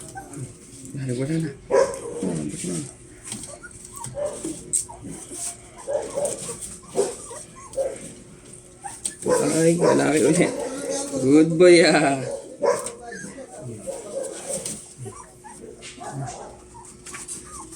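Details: Two-week-old Belgian Malinois puppies during their first deworming, giving high, wavering whimpers and short yelps that are loudest midway through, mixed with Filipino speech from the people handling them.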